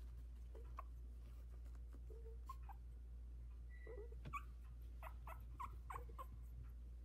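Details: Havanese puppies sixteen days old, a litter of four in a whelping box, just starting to walk: faint high squeaky whimpers and yips come scattered and irregular over a steady low hum.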